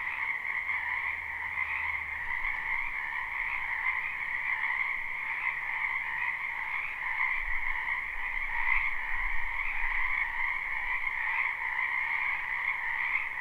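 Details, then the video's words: Live spring recording of frogs croaking in a wetland behind a home: a sustained dense chorus of overlapping trills, with low rumbling sounds appearing early and again in the second half. "Ambient Noise for Sleep Frogs Black Screen"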